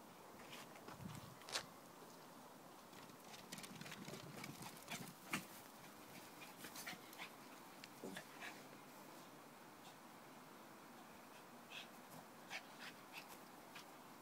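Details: A Lhasa Apso at rough-and-tumble play makes soft grumbles, snorts and scuffling noises in quick, uneven bursts.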